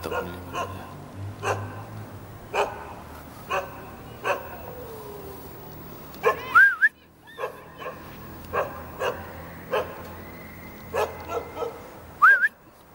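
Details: Jindo dog on a rooftop in Jeonju, Korea, barking at arriving visitors: a series of irregular barks, a low background hum, and two short rising-falling whistled tones.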